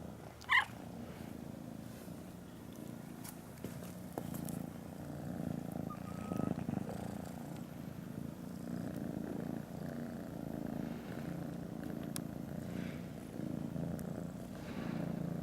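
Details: Grey kitten newly arrived among other kittens, steady low rumbling purr running through the whole stretch, with a brief high squeak near the start and faint background clicks.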